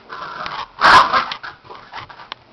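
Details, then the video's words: Two pet dogs, Derby and Murdock, playing indoors while a third dog sits watching; Murdock tries to play and Derby resists. A short loud harsh growl-like burst, then softer grumbling noises, with a person speaking afterwards. "dogs playing"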